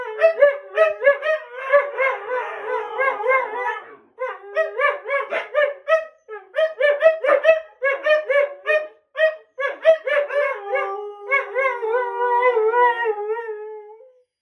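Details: Siberian Huskies Sookie and Jaxx, two pets, vocalising back and forth to get the last word in; choppy, yodelling 'woo-woo' talking howls in rapid bursts with short pauses, ending in a longer steady drawn-out howl.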